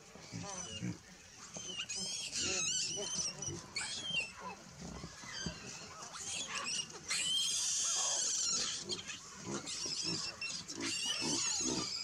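Baboons give harsh, rasping alarm barks and screams in rapid bursts as a buffalo approaches.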